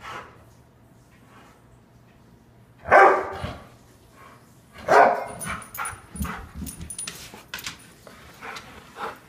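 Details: Ronie, an Airedale Terrier, barking good morning: two loud, sharp barks about two seconds apart, followed by softer grumbling vocal sounds and a faint background hum.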